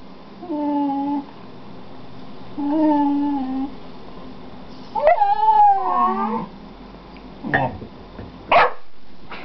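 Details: Pet dogs Gwenny and Rhett, one vocalizing: three drawn-out, tonal howling whines, the first two steady and level, the third wavering and sliding downward, then a few sharp clicks and taps in a quiet room.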